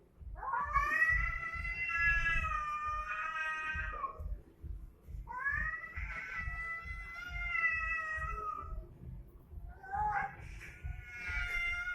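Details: Domestic cat fight: long drawn-out wailing yowls with rich harmonics, three sustained howls rising and wavering, separated by short pauses, over a steady low pulsing background.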